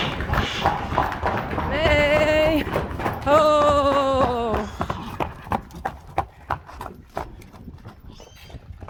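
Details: Friesian horse in a stable while mares are being readied for insemination, giving two harmonic neighs: a short level one, then a longer call sliding down in pitch, with people talking and knocking hoof sounds around it.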